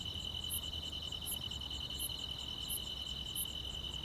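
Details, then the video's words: Summer-night grass insects in the countryside: continuous shrill trilling held at one high pitch, with a brighter clipped note returning roughly every 0.7 seconds and soft low background noise. "여름밤의 포근한 풀벌레 소리"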